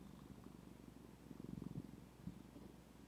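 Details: Pet cat indoors purring steadily, a low rapid rumbling pulse throughout, with a woman speaking softly before and after.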